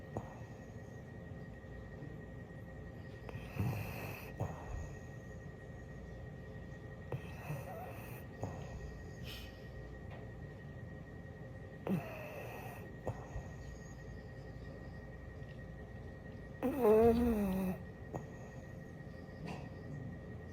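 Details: A napping French Bulldog snores in rough, breathy bursts spaced about four seconds apart, ending with a louder, snorting, wavering snore, over a faint steady indoor hum.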